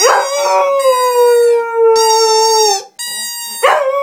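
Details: A Cocker Spaniel kept as a pet sings with a sustained, tonal howl that sags gently in pitch for nearly three seconds. It breaks off briefly, then resumes, and a fresh rising howl starts at the end.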